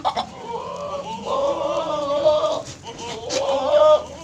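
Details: Goat at Raj Goat Farm in Ajmer giving two drawn-out, wavering bleats with a clear harmonic tone: the first lasts over a second, and the second is shorter and rises at its end. Brief clicks and faint farm noise fill the gap between them.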